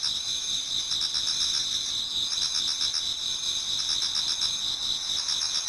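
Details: Autumn insects in chorus in a Japanese garden towards dawn: steady shrill ringing on two high pitches, with a faint rhythmic pulsing of lower trills throughout and no other sounds.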